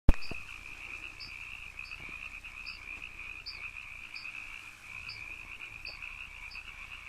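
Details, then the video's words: Canyon frogs calling as a dense, unbroken trilling drone, with short high chirps repeating about every three-quarters of a second over the steady buzz. "canyon frogs"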